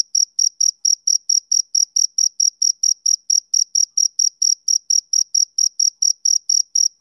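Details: On a summer evening, a male cricket chirps: shrill, uniform pulses close to four per second, each short and ringing with a faint higher overtone. Around twenty-six chirps, with no background noise.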